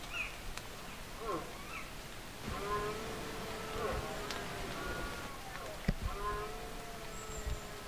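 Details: Red deer stag bellowing during the 2024 rut (berrea): two long, drawn-out, moaning roars of about two seconds each, steady and low with rich overtones, over a murmuring outdoor background with a few faint chirps.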